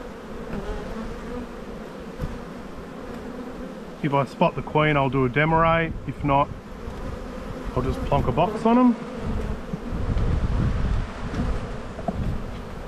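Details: Honey bees in an Australian bee yard during spring buildup, recorded at a hive inspection on 7-9-22; a steady, low, droning hum of many bees fills the background, broken in the middle by a man talking.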